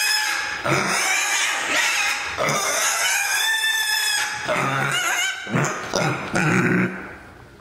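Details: Male mini pig kept indoors, walking through the house screaming when sleepy and grumpy; loud, shrill, strongly harmonic squeals in long drawn-out bursts, some wavering in pitch, separated by short breaks.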